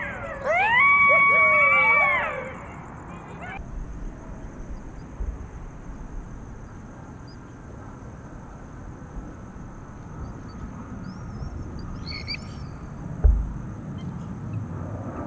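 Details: A coyote from a pack of seven gives one strong howl that rises, holds a steady pitch, then slides down before quiet.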